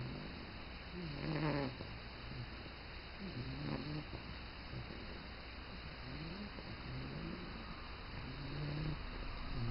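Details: Bulldog sleeping on its first morning in a new home, snoring softly: low, rough breaths recurring roughly every two seconds, partly buried under a steady broadband hiss.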